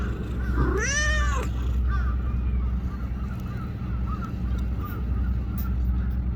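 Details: Small black-and-brown tortoiseshell stray cat in Japan sitting beside a person and being petted, giving one loud rising-then-falling meow with rich harmonics, followed by fainter short mews over a steady low rumble of background noise.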